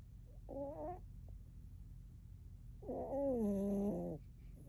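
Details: Persephone, a chonky pet cat, snores with two voiced, harmonic breaths. The first is short and wavering. The second is longer and slides downward, heard against a low steady room hum.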